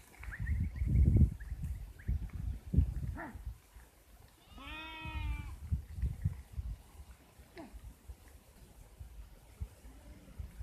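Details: Sheep giving one long, wavering, tremulous bleat midway, with a few short faint calls around it and steady low rumbling noise throughout.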